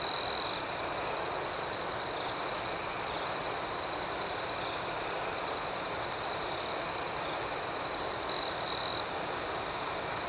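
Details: Night chorus of crickets, with a continuous shrill trill and a faster, higher throb of pulsed chirps. A few louder, sharper trill bursts stand out near the start and toward the end.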